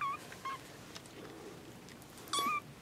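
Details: Baby kittens, whose two mothers have just given birth, make three thin, high, steady mews: two brief ones close together, then a longer one after a pause, over a soft background hiss.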